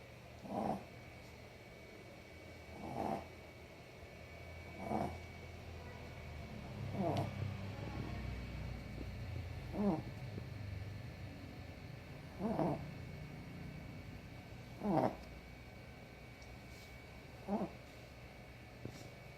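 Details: Sleeping dog snoring: short raspy snorts recur roughly every two to three seconds over a low, steady rumble, with a fainter, irregular breath between some snorts.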